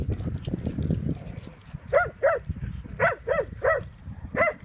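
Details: A pet dog playing at a dog park gives short, harsh barks after two seconds of low rumbling noise. The barks come singly and in pairs, about six in all, spaced unevenly over the last three seconds.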